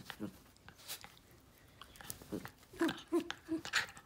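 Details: Jack Russell crossed with Fox Terrier in playful biting at its owner's hand, indoors in low light, iPhone 8 Plus recording; mouthing and chewing sounds, then three short, evenly spaced, low squeaky whine notes and a final snort.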